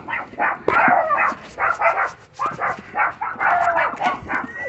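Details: Female Chihuahua puppy set on digging beneath a fence, yapping in fast repeated clusters of sharp high barks with brief pauses between bursts.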